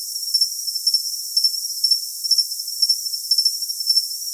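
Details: Rapid, regular cricket chirps, sharp high pulses often paired in twos, repeating roughly twice a second against a thin continuous hiss.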